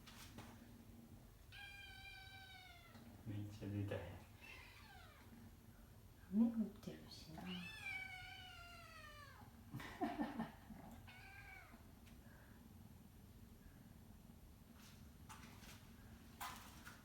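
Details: Indoors on a rainy day, a kitten that wants to go outside and clings at a person's feet gives drawn-out, wavering meows, several in a row, while a person talks softly nearby.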